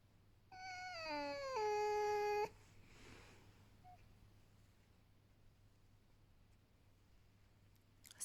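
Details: Pet fox Vasilisa, saved from a fur farm and kept inside a house, settling down for a belly rub; a sustained nasal whine that slides down in pitch and then holds level for about a second before stopping abruptly, then quiet room.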